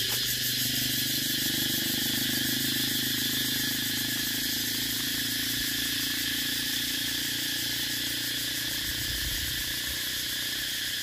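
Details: Cicadas filmed in Vietnam give a steady, shrill, high buzzing drone with a fast pulsing texture that never breaks, while a low rumbling hum, perhaps from traffic, runs beneath throughout.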